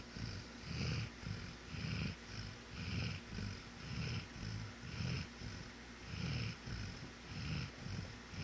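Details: Scrub the dog, in deep sleep, gives rapid rasping snores; deep rumbling pulses come about once per second, alternating stronger and softer breaths over a quiet background hiss.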